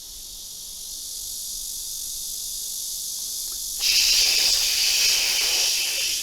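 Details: Blackish cicada, common in the south and increasingly in big cities, where its loud choruses draw complaints: a loud, steady, high-pitched buzzing drone that starts abruptly after a few seconds of faint hiss and continues unbroken.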